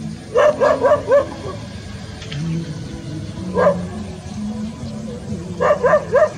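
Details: Golden and brown Labrador Retriever mixes outdoors in a rice field; short sharp barks come in a quick run of four, then a single bark, then a run of three, over a low steady rumble.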